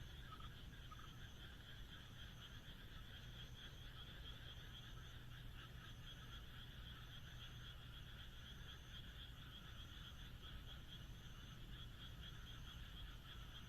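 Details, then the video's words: Moonlit rural night in Japan, frogs chorusing in a thick, unbroken wash of fast pulsed croaks, one brief louder note near the start, a low hum underneath and a soft high tone recurring at regular intervals. "田舎の月夜 カエルの鳴き声"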